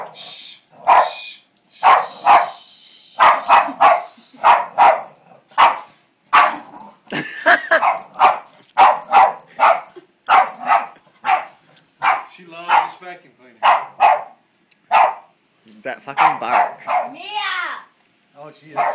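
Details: A female Boston Terrier barks at a vacuum cleaner in rapid, repeated sharp bursts, with a person's voice now and then.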